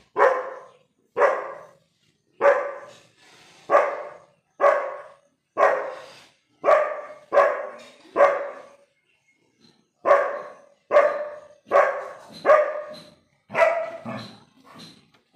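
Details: A young German Shepherd guarding the house barks at a goat, a run of sharp, mid-pitched barks roughly one each second.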